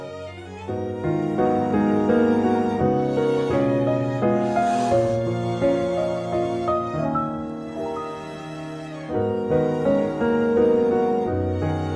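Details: Slow, sorrowful bowed string music with violin and cello lines plays throughout; no animal voices can be heard.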